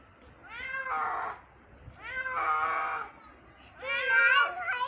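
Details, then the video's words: Three loud, strained meows from an injured kitten during its morning rescue, each about a second long with rich harmonics, the last one highest and harshest, separated by short pauses. "Injured Cat Rescue 🤯 Kitten Meowing Rescue Part 1 So Painfull Moment"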